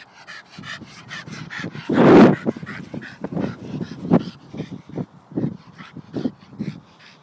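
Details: Staffordshire Bull Terrier at play, letting out one loud, harsh bark-like burst around two seconds, followed by a train of short, rhythmic huffs and grunts repeating roughly twice a second.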